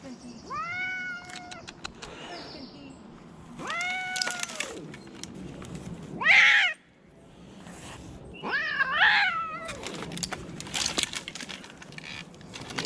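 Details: Rescued cats meowing: a series of drawn-out, arching meows, several in quick succession near the start, another pair around four seconds, then a louder, harsher cry and a final wavering meow, with faint background rustling.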